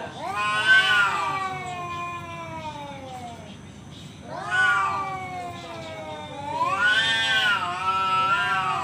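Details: Male cat yowling to pick a fight: three loud drawn-out caterwauls separated by short pauses, each rising sharply then sliding slowly down in pitch, harsh and wavering.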